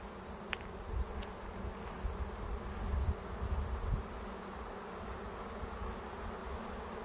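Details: A huge August swarm of Western honey bees landing on a swarm trap left out since spring fills the air with a dense, low, steady hum of countless wingbeats.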